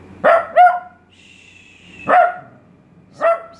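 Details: Trained male Italian Greyhound barking on the command "speak": four short, sharp, harmonic barks, the first two in a quick pair, then single barks spaced about a second apart, with a person's voice giving commands between them.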